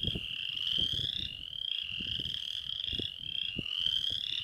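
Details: Several Western chorus frogs trilling together, each rasping call climbing in pitch and overlapping its neighbours. Scattered low thuds and rumbles run beneath the chorus throughout.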